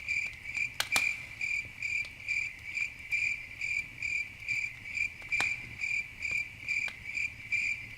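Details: Crickets chirping at night beside a campfire, shrill pulsed trills repeating about twice a second, broken by a few sharp crackles from the fire.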